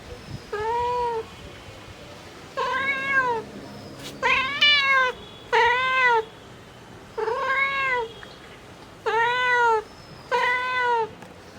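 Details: Mother cat calling for her kittens, repeating arched, bright meows roughly every one to two seconds, each rising then falling, one pair overlapping, with a quiet low hum beneath.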